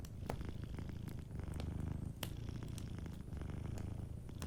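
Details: Gentle purr of a sleeping cat, a dense low throbbing rumble that swells and eases in regular cycles, overlaid by frequent snapping crackles of a nearby fireplace.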